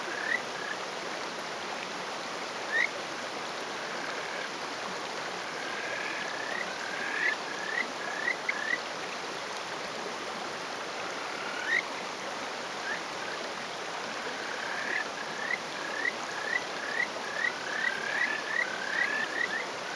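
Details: Male Kajika frog calling from a rock in rural Hofu, Yamaguchi, Japan, on the morning of 20 May 2018; territorial males give this breeding call. Short, rising, whistled notes, sparse at first, then quickening into a rapid run, over steady stream rush.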